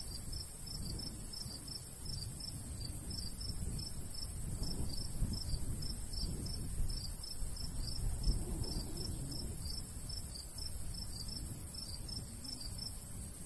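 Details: Crickets in summer countryside beside a golden wheat field, high thin chirps pulsing steadily about three times a second over a constant low rumble of light breeze.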